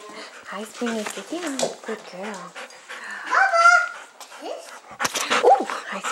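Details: Puppy play indoors: a 12-week-old golden retriever/German Shepherd mix foster puppy from Troy, Illinois, with pals, giving a string of rising and falling whines and yelps, one sharp bark-like cry, while a woman talks.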